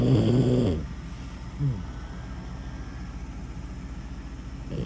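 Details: Dog snoring loudly: a deep, harmonic, rumbling snore lasting under a second, then quieter breathing with a short snort midway and another snore starting at the end.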